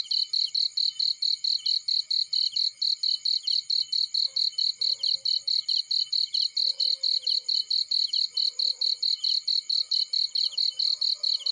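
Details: Cricket in a field by a fireplace keeps up a fast, high pulsed chirp, about four a second over eleven seconds, while faint, brief lower calls appear now and then in the background.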